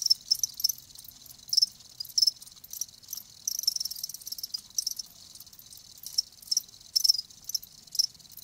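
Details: Live crickets giving high, shrill chirps in irregular bursts, some short and some drawn out into brief trills, with quieter gaps between them and a faint background hiss.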